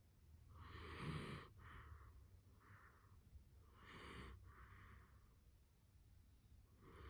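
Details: Worn-out Dachshund, one of several kept together, dozing with eyes open, snoring in a slow rhythm: a series of hushed, airy breath sounds, some with a low throaty rattle, spaced roughly every one to two seconds, no other sounds.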